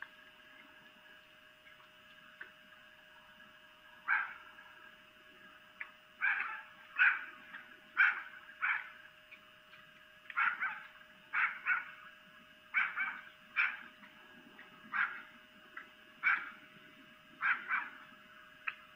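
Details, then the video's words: At night near Lolo, Montana, a female red fox makes mating calls recorded by a camera: a long run of rasping screams repeated roughly every second, growing steadier after a quiet start, with a droning hum underneath. "Vixen Mating Calls (Female Fox)"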